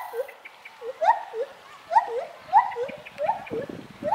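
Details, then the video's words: Gibbons swinging from branch to branch while singing; clear rising whooping notes, each sliding upward, repeated roughly every half second in a steady series, with softer lower hoots between. "Gibbon Monkeys swinging and singing"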